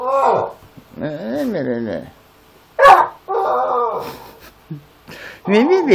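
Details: Pitbull XL and Amstaff XL mix pleading at 7 in the morning to go into the back garden: short arching whines and moans repeated in quick bursts, with a sharp thump and human voice faintly mixed in.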